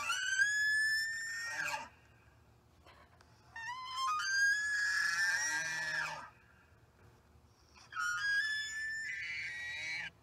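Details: In the Great Smoky Mountains, an elk bugles three times at night, each a high, shrill, whistled note with a brassy ring that holds steady and then drops away, about two seconds apiece.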